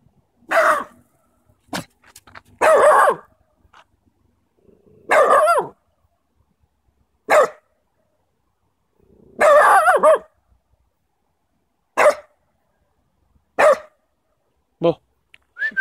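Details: Maltese Terrier puppy during a training session, giving short sharp barks at irregular intervals, some clustered in quick bursts, roughly nine bouts across the stretch with quiet gaps between; a faint whistle near the end.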